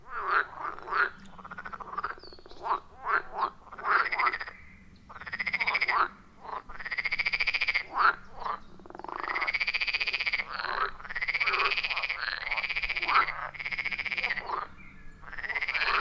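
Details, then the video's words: Wild frogs calling around a forest pond deep in the woods, recorded on an iPhone 14 Pro with a Shure MV88+: loud, rhythmic croaks in overlapping bursts, some drawn out and others short and rapid, several callers at once, no music or voices. "30 Minutes of Frog Sounds at a Forest Pond"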